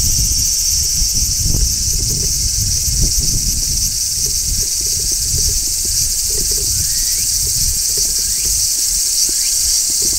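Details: Large brown cicada shrilling in midsummer, a continuous high, buzzy wash that never breaks, with faint short rising whistles in the second half and low outdoor rumble.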